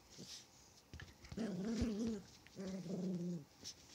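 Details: Chihuahua growling while playing: two sustained, tonal, wavering rumbles, the second steadier and lower, with a few light taps around them.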